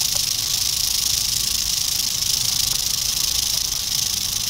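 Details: Short stretch of an eastern diamondback rattlesnake, dated 8/27/11, giving a sustained, bright, sizzling buzz with slight rapid pulsing in loudness and no pauses.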